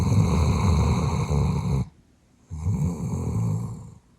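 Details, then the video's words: Rich, a sleeping female Doberman born in 2018, gives two long, heavy snores. The first is a drawn-out rasp. After a short silence, a slightly shorter rattling snore follows in a quiet indoor room. "대형견의 엄청난 코고는 소리 / 강아지 코골이ASMR"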